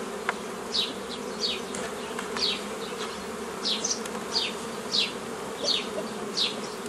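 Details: Honey bees humming steadily during old-style nucleus colony formation from a forager swarm, 15 May 2018; low drone underneath, while a bird repeats clear falling chirps roughly every second above it.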